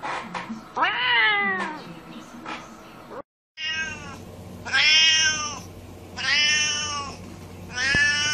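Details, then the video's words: Incessant meowing from domestic cats: a series of loud, bright, arched meows roughly every one to two seconds, high and strained in tone, with a brief silent cut midway and a low steady hum underneath. "cats of every species and incessant meowing"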